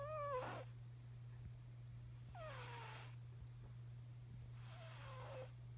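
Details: Cat snoring in its sleep, three noisy breaths roughly two seconds apart, each carrying a falling whistled tone through a rushing hiss, with a steady low hum underneath.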